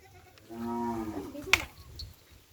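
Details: Cattle kept for kerapan sapi bull racing on Sapudi Island, Indonesia, give a single short moo, a nasal harmonic low to mid-pitched call lasting under a second, slightly falling at its end, followed by a sharp click and quiet background chatter.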